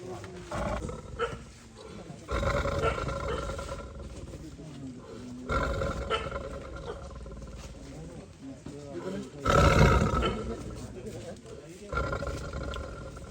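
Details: Tiger trapped in a cage in Wayanad, roaring in four heavy, rasping bursts spaced about three seconds apart. Quiet Malayalam speech is heard between them.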